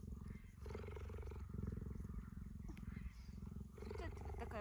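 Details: Cheetah purring while kept as a pet and petted at close range: a low, rapid, pulsing rumble with breath-linked pauses, and a woman's quiet cooing voice partly over it.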